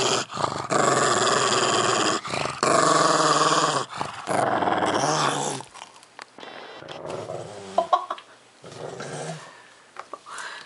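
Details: Pug Milo growling over squash he is eating: loud sustained growls for the first five seconds, then quieter chewing and crunching sounds with softer growl fragments.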